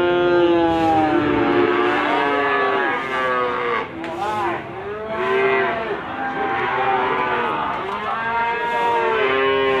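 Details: Repeated moos from Limousin cattle at the animal market in Gondanglegi, Malang, East Java, recorded 12 February 2020; deep bellowing calls with arching harmonics nearly continuous, briefly dipping around the midpoint, over low crowd noise.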